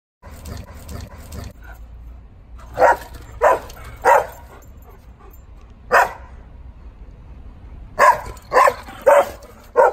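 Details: Bernese Mountain Dogs at play on 24 July 2019: nine-year-old female Oleo chasing Leon in their third round. Loud, full barks arrive in irregular clusters of two to four, with short quiet gaps between.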